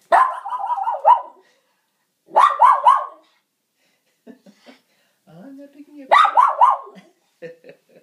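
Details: Dog named Sharlotte greeting her owner home from work in a nightly routine; bursts of excited, wavering whining yelps in rapid pulses, with a man speaking affectionately to her between the outbursts.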